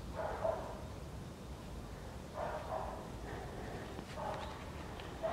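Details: Young Siberian Husky puppy, eight weeks old, first outing in the snow. Quiet, drawn-out whining yips sound three or four times across a few seconds against a steady background hiss.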